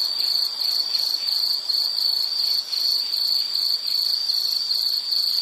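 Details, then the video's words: Insect, probably a cricket, heard in a soothing nature soundscape: a bright, high-pitched trill in rapid pulsed phrases with brief dips in loudness roughly every second. "Nature Sound of nature sounds scenery L · insect"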